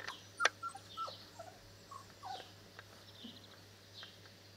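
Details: Four-week-old Presa Canario puppies from the litter of Mula and Toppo give short, high squeaks and thin whimpers. One sharp cry comes early, then softer scattered squeals follow over a constant low electrical hum.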